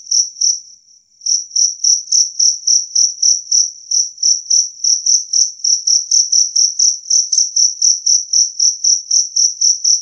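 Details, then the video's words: Two-spotted cricket, jangkrik kalung, loud clear chirping said to drive away rats: a steady train of high, pure chirps about four per second, with one short pause near the start, on a silent background. "Suara Jangkrik Kalung Jernih"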